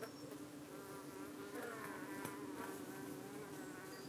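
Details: Honey bees at the entrance of a UK hive, fending off flies landing on their abdomens in the evening; dense steady drone with rich rippling overtones and faint higher buzzing passes.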